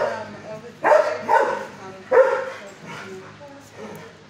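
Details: Fozzie Bear, a six-year-old dog in kennel 19 at the HSSAZ shelter, barking at a caretaker at first before calming: three loud, sharp barks within about two seconds, with quiet human talk and kennel noise behind.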